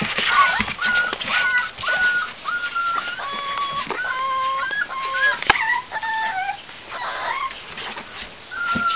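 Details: Several male American Pit Bull Terrier puppies from one litter, kept together in a box, give overlapping whimpers: tonal cries at varied pitches, some level, some falling, tumbling over one another, with soft rustling and scratching throughout.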